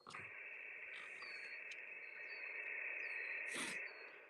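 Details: Crickets keep up a steady, high, shimmering trill at a provincial park campsite just north of Moose Jaw, Saskatchewan, with faint ham-radio tones and crackle mixed in.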